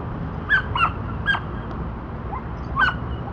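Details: Border Collie Dante, training the disc back vault move, lets out three quick high barks, a pause, then one more bark, against a steady low background noise.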